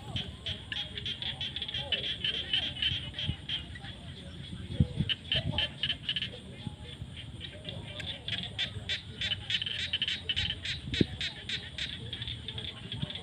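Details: Frogs calling in fields at sunset during the rainy season; rapid pulsed high trilling repeated in bursts of several per second over a background of lower croaks and field noise.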